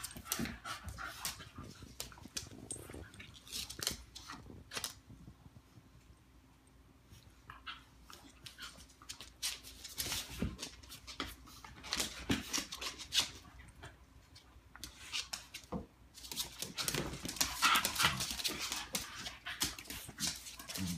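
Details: Morkie Looey and Schnauzer Butterball wrestling indoors in play-fight, Butterball making a funny noise; dense rapid panting-like huffs, snorts and scuffles run throughout, with a name called out near the end.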